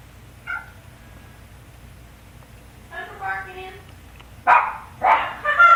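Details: Suzi, an indoor male cat, meowing loudly: a short faint mew, then a longer wavering meow, followed by two strong harmonic-rich meows near the end, over a quiet room.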